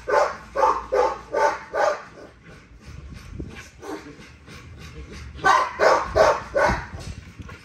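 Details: Nyla, a female XL ghost tri American Bully, being exercised in a workout. She gives a rapid series of sharp barks, about five in two seconds, then a quieter pause and another quick burst of barks, with laughter and a voice nearby.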